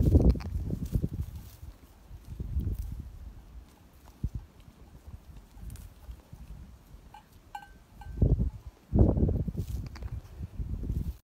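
A young male goat gives rough, low bleats in short bursts, with quiet pauses between calls.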